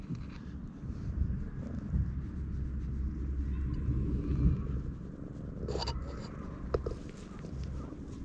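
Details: Stray cat purring loudly while seeking affection and rubbing against a person's legs, filmed on a GoPro; a continuous low rumbling purr with rustling and a few sharp clicks near the end.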